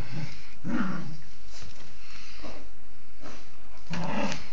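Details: Female pet dog indoors, sneezing while playfully attacking her blanket; three short, noisy bursts of breath near the start, at about one second and near the end, with low rough growl-like rumbles between.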